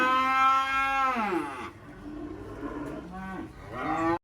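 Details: Black kurban cattle, three head, unloaded from a truck in Indonesia before being sent to Jakarta: a loud harmonic moo that falls away, then quieter low lowing and a second rising moo at the close.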